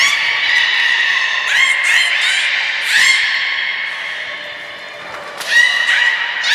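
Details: Beluga Nana, captive at Port of Nagoya Public Aquarium, calling during training on 13 April 2019: bursts of buzzy, pulsed harmonic sound repeating irregularly, each swelling then easing, with a quieter gap before a final loud burst.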